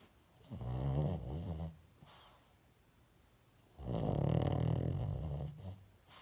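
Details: A sleeping pet dog snores twice indoors, each a deep, vibrating rasp lasting over a second, the second longer and louder, with a quiet breathing gap of about two seconds between them.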